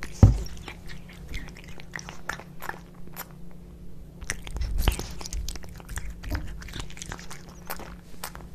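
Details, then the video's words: Tuna wet cat food being eaten by two domestic cats, Kitkat and Leo: a sharp bite at the start, then scattered moist chewing clicks with a brief quieter pause midway, faint hum behind. "Cat Eating Tuna Fish Cat Food ASMR"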